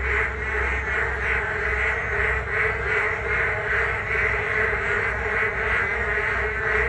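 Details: Frogs chorusing on a rainy day along a walking path beside the Geum River: a dense, continuous wall of overlapping croaks pulsing roughly two to three times a second, with steady low rumble underneath.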